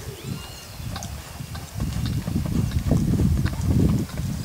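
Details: Brown purebred Lusitano stallion at a stud farm: a rapid run of dull, low thuds, about three per second, growing louder toward the end, over a steady outdoor rumble.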